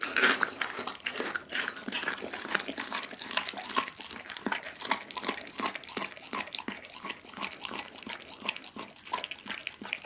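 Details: Whole raw chicken being eaten by Doggy the pit bull indoors, recorded on an Insta360 ONE R: relentless crisp crackling and squelching bites, with rapid crunches packed closely together throughout.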